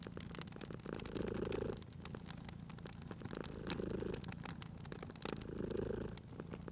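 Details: Low, buzzing purr of a sleeping cat at a fireplace, growing louder in three rhythmic breath cycles, with frequent dry snaps and crackles of burning logs mixed in.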